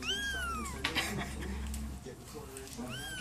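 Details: Two domestic kittens calling: high, thin mews sweeping down in pitch, one at the start and another near the end, with a thump and household noise between.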